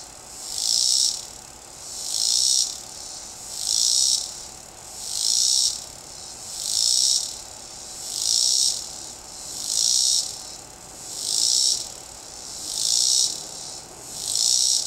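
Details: Cicada singing from a tree, a loud buzzy high-pitched pulse repeated about every 1.5 seconds, each burst swelling and fading in a steady rhythm, with faint background noise.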